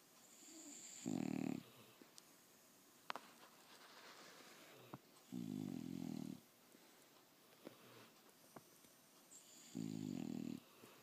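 An English Bulldog snores loudly, each rumbling breath lasting about a second and recurring every four seconds.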